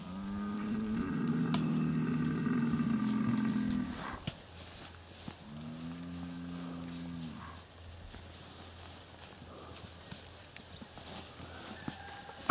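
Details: In a Siberian village in Altai Krai, a bull lagging behind the departing herd bellows twice, giving long, low moaning calls with a rich, droning tone.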